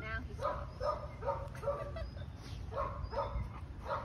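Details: Rottweiler at a no-kill animal shelter in Dallas, Texas, barking in a steady run of about ten short, harmonic barks, two to three each second, over a constant low background rumble.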